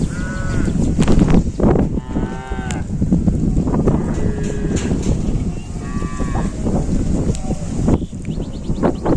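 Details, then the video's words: Odd-sounding cattle low in brief harmonic bursts, repeated roughly every two seconds over a constant rumbling background, with scattered high chirps and music underneath. "kumpulan sapi bersuara aneh, suara sapi"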